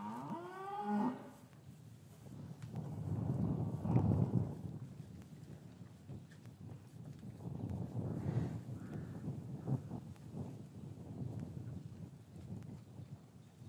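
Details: Cows lowing in a traditional English cattle yard on a winter afternoon after the calves were taken from their mothers; one arched moo opens, followed by a long, low, rough rumbling of lowing and yard noise.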